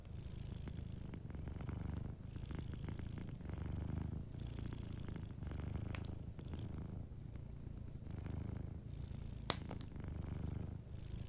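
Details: Soft purring from a sleeping cat by a cozy fireplace, a deep continuous rumble swelling and easing with each breath, while fire crackles snap intermittently, one loud pop near the end.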